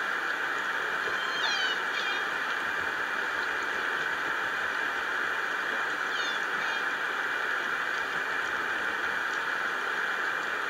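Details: Two squealing, bending orca calls rise and fall through a steady underwater hiss, recorded on the Lime Kiln hydrophone around 2:00 a.m. EST in June 2011; pod unknown.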